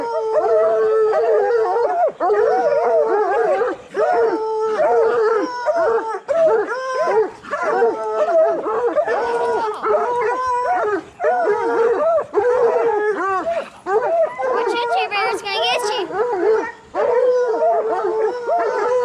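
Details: Bluetick and black and tan coonhounds in training to hunt raccoons, baying together in a dense chorus of long wavering howls and yelps, overlapping almost continuously with brief pauses throughout.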